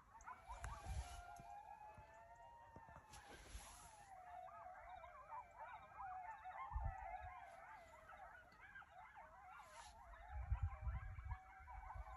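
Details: A coyote chorus of wavering, siren-like howls that climb and dip, layered with rapid quavering yips from several animals building in the middle, over low rumbling noise and a constant high-pitched background tone.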